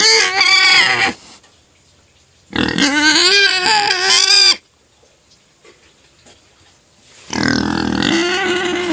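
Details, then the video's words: Crying pet pig before sugar cane feeding, three loud harsh squeals with wavering, quavering tones, the middle one about two seconds long. "Crying pet pig finally shuts up after being fed sugar cane"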